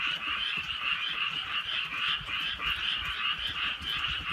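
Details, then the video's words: Countryside frogs croaking through a light night rain, many voices merging into a steady rattling chorus that pulses in quick waves, with soft ticks of rain in the background. "개구리 소리"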